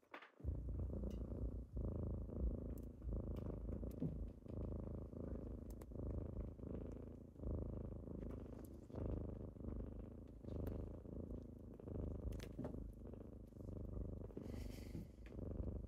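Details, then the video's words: Morning purring of kittens that wake a sleeper, a deep rhythmic rumble pulsing with each inhale and exhale about every one and a half seconds, sustained throughout with occasional light taps and rustling. "Morning with kittens^^"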